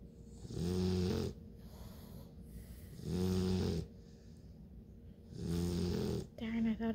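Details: Bluetick Coonhound puppies at nine weeks old sleeping, one dreaming of a chase; three loud, low harmonic snores, each about a second long, repeat roughly every two and a half seconds, with a short nasal snort at the end.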